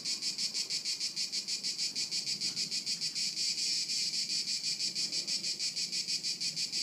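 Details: Loud, regular high-pitched cricket chirps at Haut-de-Cagnes in 2013, about three pulses per second, with a quiet background.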